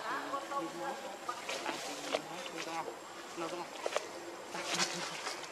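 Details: Hungry infant macaque Leo cries to his mother for milk, giving a string of brief harmonic whines and squeaks that bend up and down in pitch, separated by short pauses, over crackling and rustling background noise.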